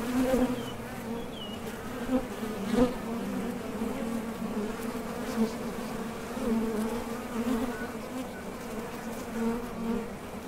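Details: Many honey bees buzzing at the entrance of a top bar hive, flying out to collect nectar and returning; an even low-pitched hum with a few louder passes, and faint distant bird chirps early on.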